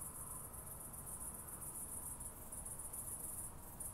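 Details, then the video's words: Oak bush-cricket song from Starnberg, Germany, 18 July 2023: a near-continuous train of high, rapid buzzy pulses in short runs with tiny gaps, over a constant low rumble. "Meconema thalassinum -- Gemeine Eichenschrecke -- Oak Bush-cricket"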